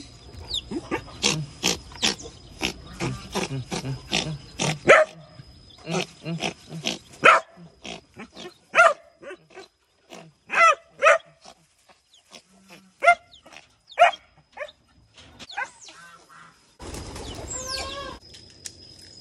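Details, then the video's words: Rescued baby otter in a sanctuary, described as angry, being disciplined by an older otter: rapid series of short squeaky chirps and harsh squeals in bursts, some rising and falling, with a thin steady tone in the background. "Otter Titi Disclipining Anber The Angry Baby Otter"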